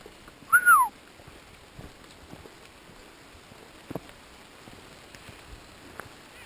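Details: Elk mothers of a herd crossing the Hoh River Trail in Olympic National Park's Hoh Rainforest, mid-June 2013, warning hikers away from their calves: one short, squealing call that drops in pitch, then quiet forest with faint ticks.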